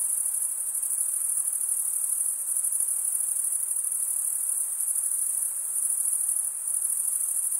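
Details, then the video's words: A steady chorus of male crickets chirping by stridulation, rubbing serrated wing veins together, forms a continuous high-pitched ringing buzz. Slight swells in loudness come and go, with nothing else audible. "Most relaxing cricket sound for 8 hours"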